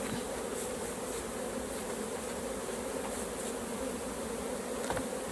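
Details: Honey bees at an open hive during a raw honey harvest, a dense steady hum with bright tones near the low-middle pitches, continuous throughout, with occasional faint clicks and knocks from hive handling.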